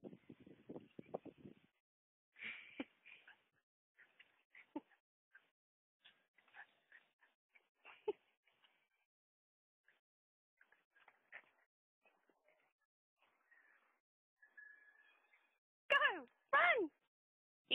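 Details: Dog named Mali, a mother with her puppies: faint scattered squeaks and soft whimpers, then two loud, strained, falling whining cries near the end.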